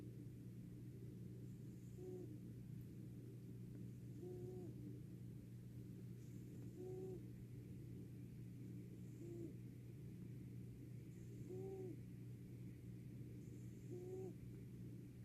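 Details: Sleeping fat cat named Ron snores steadily, each breath a short nasal, slightly squeaky tone with a faint high hiss, repeating about every two and a half seconds, six times, against a constant low droning hum.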